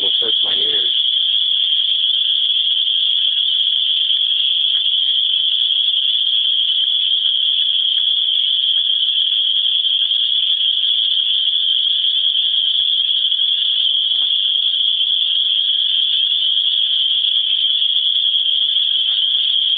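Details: Cicada chorus in Griffith, Indiana, where these swamp bugs are louder than a speaking voice: an unbroken high-pitched buzzing hum holding one steady pitch for twenty seconds, a brief faint voice at the very start.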